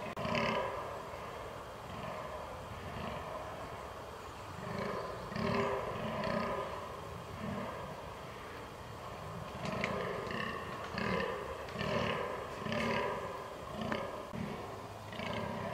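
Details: Fallow deer in rut, October 22, 2022: deep croaking groans repeated roughly once a second in swelling bouts, with faint clicking and some higher background hiss.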